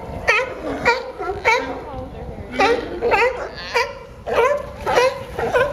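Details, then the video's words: Sea lions at San Francisco's Pier 39, Fisherman's Wharf, give a steady series of short, bleating barks, each dropping in pitch, repeating almost twice per second with brief pauses between groups. "Sea Lions making funny Sound"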